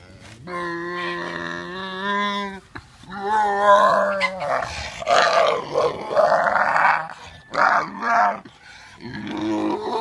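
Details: Sanctuary pig in San Ysidro making vocal sounds while scratched behind the ear: long tonal, moaning notes with rich harmonics alternating with rougher, breathy, grunting bursts, continuous over ten seconds.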